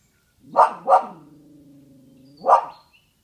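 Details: Dog barking at a massive pile of poop: two quick sharp barks in close succession, a low rumbling growl held underneath, then a third bark two seconds later.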